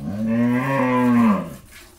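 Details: Farm cow of Jersey-Mundi cross breed, Pabna, Bangladesh, first-time mother with a bull calf, gives a single full-throated moo, steady and slightly arching in pitch for over a second before dropping away.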